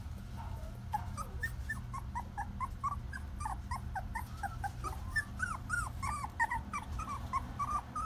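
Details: Shetland Sheepdog female puppy, born 22 February 2018, tense at her first photo session; rapid series of thin, rising-and-falling whines and yelps, growing busier toward the end, with a low background hum.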